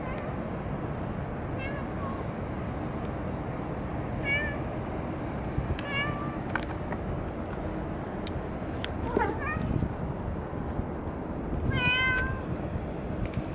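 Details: Cat at Dockyard Garden, recorded on 30 May 2017 shortly after 6 a.m., giving about six short, thin meows spaced through the clip over a loud, steady low rumble.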